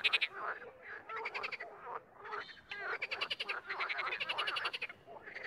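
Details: Frogs croaking, sometimes in chorus and sometimes singly: overlapping bursts of rapid pulsed croaks, harsh and rattling, several callers layered in short bouts of about a second each with brief gaps between.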